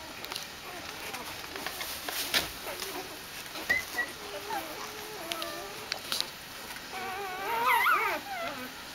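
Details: {'caption': 'Dobermann puppies greeting their mother returning from a walk: soft wavering whimpers and whines, rising into a cluster of high yelping whines near the end, with some human voices and rustling.'}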